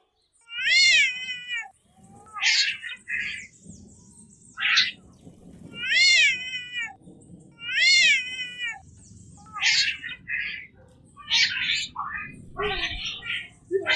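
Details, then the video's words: Fighting domestic cats trade stuttering harmonic yowls and sharp noisy hisses, the bursts coming roughly every second amid a low background murmur. "Som de Gato Brigando Barulho de Gatos"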